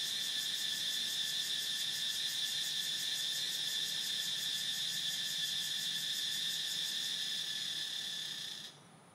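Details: Continuous shrill buzzing drone of a cicada, steady and finely pulsed, holding level for about eight and a half seconds before cutting off abruptly into near silence.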